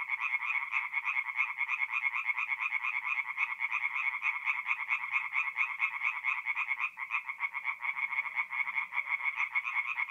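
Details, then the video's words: Singing tree frogs in a north-east Italian forest pond by night, mid-April; continuous rasping, pulsed croaks from several frogs overlap at a quick steady pace, with one brief dip before the chorus resumes. "relaxing forest pond by night with singing tree frogs"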